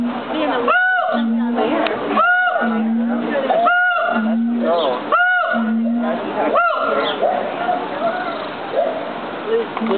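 A monkey gives loud, tonal, arching hoots about every one and a half seconds over a noisy, murmuring background.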